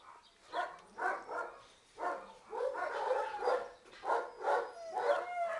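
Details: Two 8-month-old male terrier mixes from a big breed like Stafford, rescue puppies with a soft nature, giving a run of short, yelping barks and whiny yips, about one every half second, some rising into squeaky whines.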